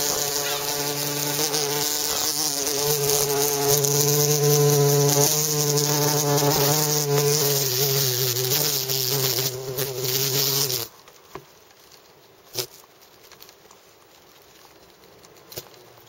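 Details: Bumblebee buzzing steadily and loudly, a low droning hum with rich overtones that wavers slightly in pitch, holding for about eleven seconds before stopping abruptly, leaving near silence with a few faint clicks.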